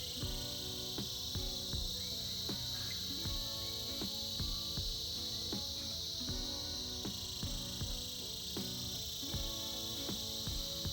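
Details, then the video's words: Cicadas filling the air in winter with a continuous high, hissing buzz that swells slightly midway, accompanied by a steady background melody of plucked, ringing notes. "Buzzing sounds of Cicadas"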